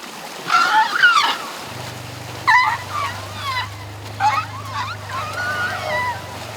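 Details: Asian elephants, calf Pyi Mai with Chaba and their parents, captive at Elephant Nature Park, splashing and rolling in the river in excitement; several short rising-falling squealing trumpets and chirps, with a steady low hum and water splashes.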